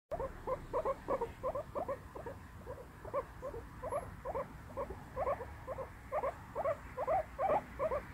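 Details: Pet guinea pig; a run of short, squeaky 'pui pui' calls in rapid clusters of two or three, about two bursts a second, steady throughout over a quiet room.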